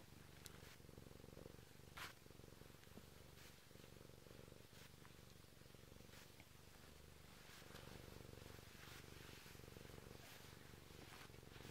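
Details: Purring of a Bengal cat waking its owner indoors, a continuous deep pulsing rumble lasting the whole stretch, with occasional light rustles and taps on top.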